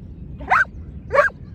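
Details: Giant Schnauzer outdoors during lure training, one of two dogs that were recalled; two short, sharp, yelping barks about half a second apart, over a steady low rumble of wind or distant traffic.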